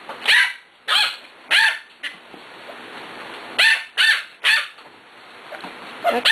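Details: Six-week-old puppies, Cat, Kobe and a little girl from the Ellie and Little Man litter, playing; sharp high yipping barks come in two quick clusters of three or four, with a fainter yap at the end and brief human voice between.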